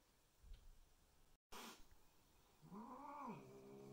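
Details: Domestic cats meeting for the first time indoors as new Bengal kittens are introduced to resident adult cats; one drawn-out, arching meow rising then falling, preceded by faint rustling and a brief thump.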